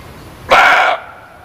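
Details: A single loud muntjac bark, sharp onset and hoarse, raspy tone held for about half a second before stopping abruptly over low hiss.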